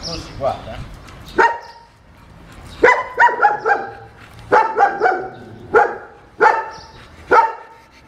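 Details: Training session for an unmanageable German Shepherd, second lesson: sharp, ringing barks in short runs of two to four, separated by brief pauses, a person's voice faintly audible between bursts.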